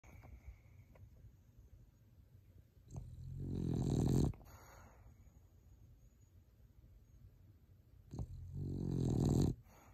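A French Bulldog snores loudly, each long rattling breath swelling and then cutting off.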